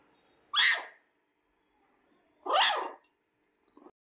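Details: A 20-day-old Shih Tzu puppy whining: two high, squeaky whimpers about two seconds apart.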